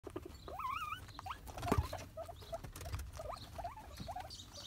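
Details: Pet guinea pig giving loud, high whistled squeals that sweep up and down in wavering loops, several in quick succession, with soft rustling and pattering underneath.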